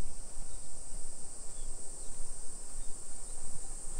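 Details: Cicadas droning in a suburban Nagoya neighbourhood in Nisshin, Japan, on a July 2021 afternoon walk: an even, sustained high-pitched shimmer over fluctuating low background rumble.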